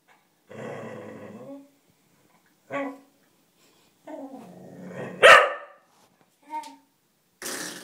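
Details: Cocker Spaniel indoors, crying and barking to play with a door spring after it was pinged: drawn-out harmonic whines in separated bouts, one sharp loud bark mid-clip, then short whimpers and a breathy burst at the end.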